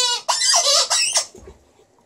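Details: Female Alaskan Malamute named Liza howling cheerfully as part of a vocal show: a bright, quavering run of yodel-like notes lasting about a second, then fading into quiet.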